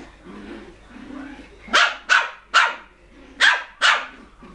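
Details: Poodle puppies giving five sharp, high yapping barks in quick succession, each a short bright burst, spaced unevenly about half a second apart, after a quiet stretch with faint low background sounds.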